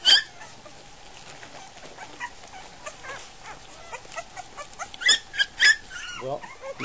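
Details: Goldendoodle puppies just over a week old at feeding time, giving short high whimpers and squeaks that grow louder and more frequent toward the end, over soft background noise.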